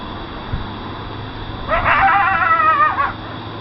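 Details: A coyote in Fort Worth, Texas, just after 12:30 AM on November 17, 2013, behind a house at night, gives one rough, high bark just over a second long, wavering and sliding downward, over faint low hum.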